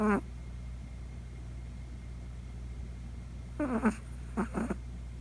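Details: Chihuahua puppy Poco asleep at night, snoring for the first time; a brief snore at the start, a quiet pause, then two more short, rasping snorts close together.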